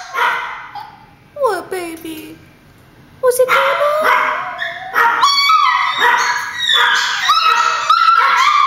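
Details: ['Chihuahuas at home, thinking their grandma is at the door, give a falling whine-like cry, then after a brief lull erupt into continuous high-pitched yapping and yipping.']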